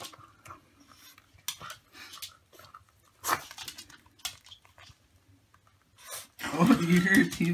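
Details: Olive, a pet dog indoors, chattering her teeth while eagerly waiting for treats: sharp, dry clicks in irregular bursts roughly twice a second, with a person's voice praising her and cutting in at the end.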